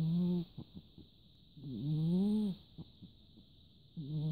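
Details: Nana-san, a large orange cat, snores while asleep indoors, recorded 14 December 2017: drawn-out, low, droning snores, each breath in a long buzzy rising-and-falling tone, with quieter rasping breaths between and a steady high electronic whine throughout.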